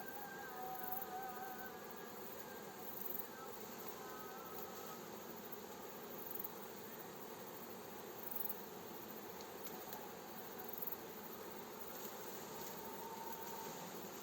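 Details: Honey bee swarm being gently guided by a beekeeper into its hive: a dense, steady, many-winged hum filling the air, with faint wavering tonal lines early on and occasional soft thumps.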